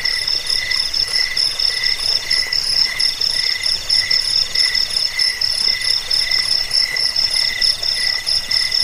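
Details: Crickets used to repel rats, as bedtime sound and as a master recording for birds: a steady, shrill chorus of pulsed chirps at several layered pitches, unbroken for the whole stretch.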